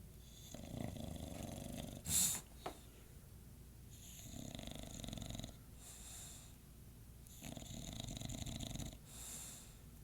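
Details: Bradley the English Bulldog snoring at 2:50 am: rhythmic, raspy snores lasting about a second each, repeating every two to three seconds, with one sharp click early on.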